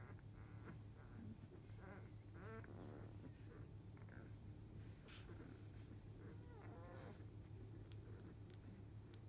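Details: Field-line Labrador Retriever puppies at 14 days old, part of a litter of eight, dozing after a feed; scattered soft squeaks and a couple of wobbling, harmonic whimpers over a steady low hum.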